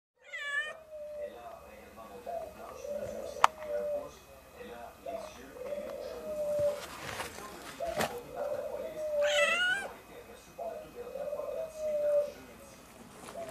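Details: Newborn kittens, born 3 December 2016, from a Siamese mother's first litter, indoors: thin high mews repeated every few seconds, with a person talking softly in the background.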